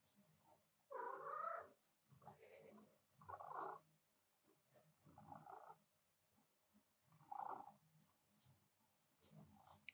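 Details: A female pet cat interrupting her owner's work at the keyboard gives soft, short mid-pitched meows and trills, spaced a second or two apart, with quiet gaps and faint room sounds between them.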